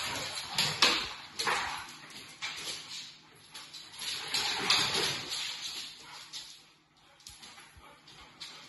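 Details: An English Setter and a Pit Bull playing together with a French Bulldog nearby. Rough, breathy growls and snorting bursts come in uneven bunches, with scuffling noise between them.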